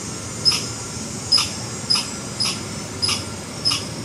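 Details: Red squirrel alarm call: six sharp, high chipping notes spaced roughly every 0.6 seconds, each a brief bright click with a thin whistled edge, over a steady background hiss.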